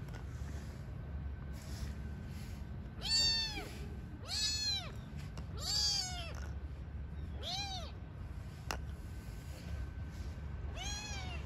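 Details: Newborn kittens and their mother cat living on the street: five high, arching meows with bright harmonics, spaced roughly one to two seconds apart, over a steady low background hum.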